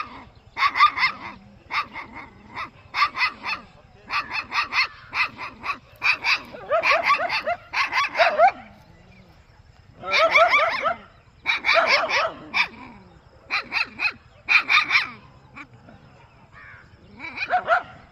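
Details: Village puppy with a dog barking: bursts of sharp, high yappy barks, some single and some in rapid clusters, separated by brief quiet gaps, with a faint low hum underneath.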